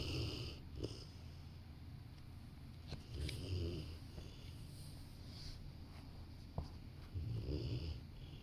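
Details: Rottweiler taking a nap on the sofa beside a person at work, producing slow low snores every two to three seconds, interrupted by a few small clicks and rustles in a calm indoor setting.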